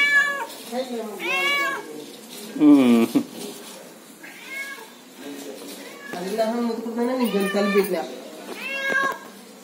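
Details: A friendly cat, an unexpected guest, calls with several short wavering meows spread through the stretch, one louder rising-falling mew near the middle, mixed with human voices talking.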